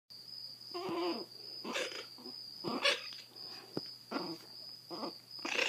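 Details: Zada, a blind 7-week-old female Chihuahua puppy with severe hydrocephalus, rescued from a Fort Worth, Texas shelter, grumbles in short harmonic bursts, some with wavering pitch, separated by brief pauses over a steady high background tone.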